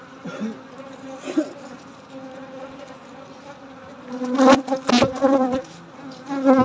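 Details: Honey bees buzzing at night during a honey harvest: a steady, low droning hum with rich overtones, broken after four seconds by several sharp knocks and clatters from handling.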